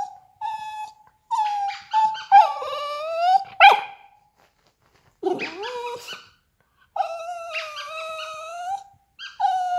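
A Yorkshire terrier gives long, high whining calls that waver and slide in pitch.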